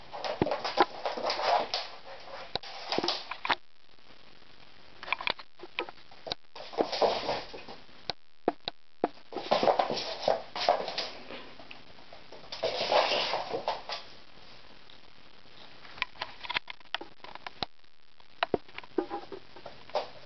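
A Bengal cat gives loud, drawn-out yowling meows in bursts every few seconds.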